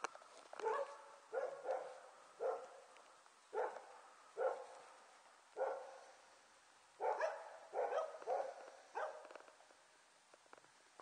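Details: Six-week-old Border Collie puppies from January 2013 giving a steady series of short, high yelping barks, roughly one every second, some doubled, fading toward the end.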